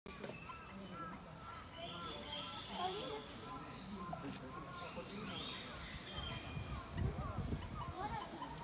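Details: Meerkats at a zoo's mother-and-young exhibit, the young following their mother, give a steady stream of short, high chirps and peeps while people talk nearby.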